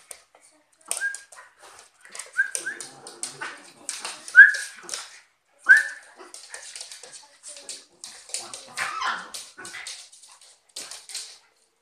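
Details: A cocker spaniel and a West Highland white terrier fighting: short, sharp, whining yelps bend downward in a scattered, irregular sequence, mixed with harsh scuffling snarls and rustling bursts, and a few quieter noisy gaps between the clashes.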